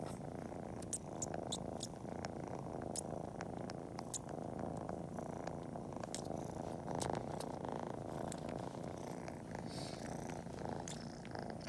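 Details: Cori the kitten purrs in an unbroken low drone while suckling toes and paw-kneading just before a nap, mimicking nursing; intermittent wet suckling clicks punctuate the rumble.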